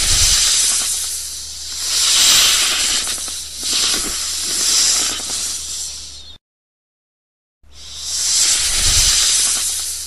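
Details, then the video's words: Hissing snake: several drawn-out airy hisses rising and falling in strength, then a brief silence before another hiss starts, with a faint constant hum underneath. "Suara binatang ular | snake sounds"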